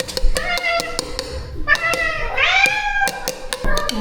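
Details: Rescue cat at a shelter caring for a stray colony, a mother of kittens being lured downstairs to her food: a run of harmonic meows, one long rising-then-falling meow near the middle, over repeated sharp tapping clicks and a voice.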